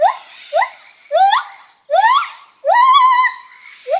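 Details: Lar gibbon voicing loud rising whoops, each note sweeping upward, some short and some drawn out into a wavering, held tone, with brief gaps between them.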